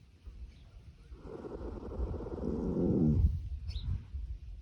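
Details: Gypsy Vanner colt snoring while napping in the sun: a low, rough rumbling breath that swells over about two seconds and fades, with a faint higher squeak near the end.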